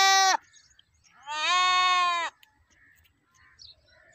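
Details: Goat bleating: a short loud bleat, then a longer steady nasal bleat of about one second with rich stacked harmonics, quiet background between calls.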